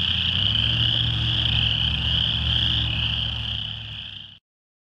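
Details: A dense chorus of chorus frogs in a rain pond on Brewery Hill, Lethbridge, on 22 June 2013, their high trilling calls merging into one shrill wall of sound, seemingly louder whenever vehicles passed.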